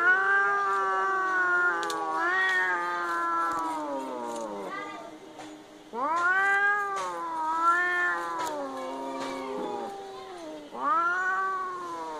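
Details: Cats fighting, giving loud, drawn-out wailing yowls that rise and sag in pitch, overlapping with a second voice, broken by short pauses and a sudden renewed howl about halfway through.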